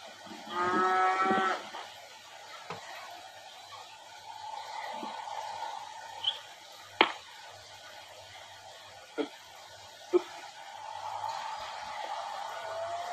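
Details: Cattle at a ranch in Valle de Zaragoza, Chihuahua, Mexico, during handling work: one short, loud, harmonic moo near the start, followed by background hum, scattered knocks and clatters, and a faint tone.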